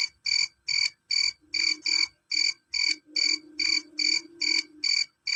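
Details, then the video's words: Male cricket chirping loudly and shrilly, sharp pulsed chirps repeated steadily about two or three times a second, about fourteen in quick succession, with a faint low hum underneath. "Suara jangkrik jantan"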